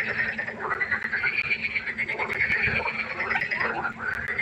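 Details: Pond frogs at night in full chorus, bright rapid ticking croaks packed tightly together, some short sweeping notes and clicks standing out against the steady rattle.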